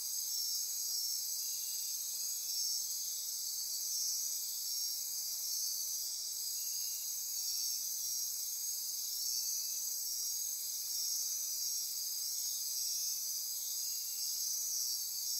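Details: Costa Rica's Osa Peninsula rainforest at midnight near Corcovado National Park: a sustained, dense insect chorus of shrill trilling and buzzing, with quieter pulsing calls repeating irregularly underneath.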